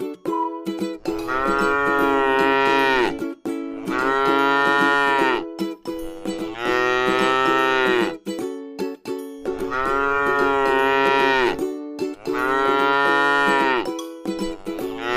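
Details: ['Five repeated lowing calls, roughly every three seconds, from a tame cow eating grass in a rice field, each a broad, sustained moo bending down at the end, over steady musical tones.']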